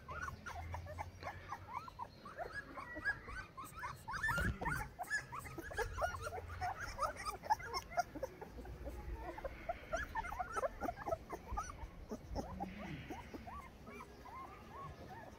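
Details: Saint Bernard puppies, 14 days old, in Pakistan, keep up a steady chorus of short upward squeaks and whines from several pups, with brief low grunting and a constant low hum beneath.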